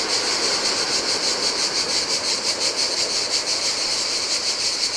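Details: Cicadas on a Greek island shore of the Adriatic sea, singing in the heat; a continuous high rasping whir with a rhythmic throb near three beats a second, backed by soft breaking surf.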